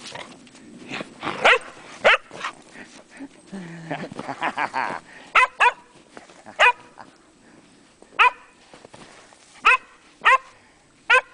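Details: Megan, a Welsh Springer Spaniel, out on snowy Llanllwni Mountain, gives about ten sharp, high barks in irregular bursts, with a stretch of murmured human voice in the middle and quiet outdoor background.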